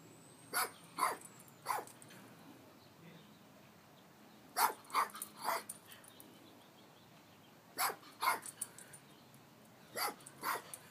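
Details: Guarding the house in Palm Springs, Tito Puente, a Chihuahua rat terrier, gives sharp, high barks in clusters of two or three, each cluster a few seconds apart, over a quiet indoor background.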